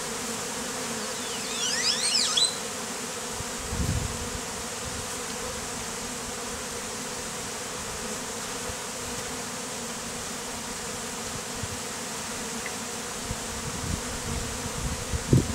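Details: Continuous humming drone of a honey bee swarm being set up for a bee beard, bees taken from a statue and described as killer bees; brief high squeaky sounds early on and a few dull thumps over the steady buzz.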